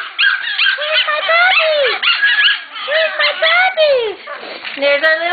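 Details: Excited puppies from a litter getting ready for new homes, roughhousing with their mother and littermates; dense run of squeaky, rising and falling whines and short yelps, several voices overlapping, a person talking over the play.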